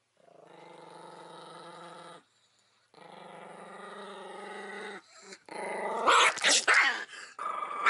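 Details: Furious Chihuahua reacting to a camera intruding on it, two long rumbling growls followed by sharp, loud snapping barks and noisy scuffling in the final seconds.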